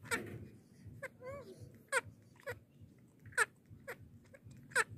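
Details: Baby monkey making a strange sound while drinking milk indoors: a short wavering, squeaky call with stacked overtones near the middle, amid sharp, irregular smacking clicks roughly every half second to second.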